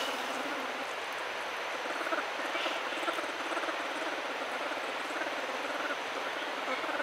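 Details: Orphaned bear cub that seems to treat a human as its mother hums steadily, a sustained run of rapid short pulses of even tone and loudness from low in the throat, continuing without a break.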